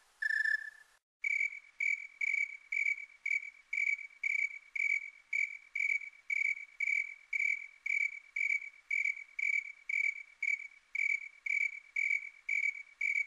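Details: Snowy tree cricket in high quality, one lower chirp followed by a long steady run of brief, pure, higher-pitched pulsed chirps repeating at roughly two per second, no other sounds.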